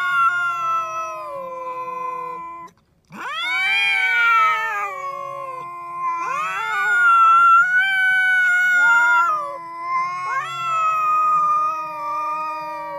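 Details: Domestic cat giving long, drawn-out wavering yowls, rising sharply after a brief silence near three seconds, then held in loud sustained wails that swell and dip repeatedly; no other sounds stand out.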